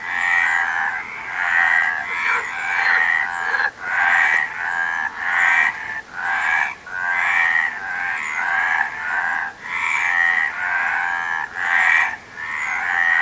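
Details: A chorus of frogs with a steady run of raspy, pulsing croaks, each burst about a second long with short breaks, continuing without pause over thirteen seconds.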